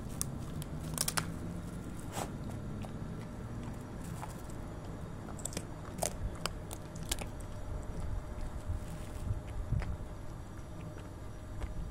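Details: Close crunching and chewing sounds with soft clicks, no animal voice heard.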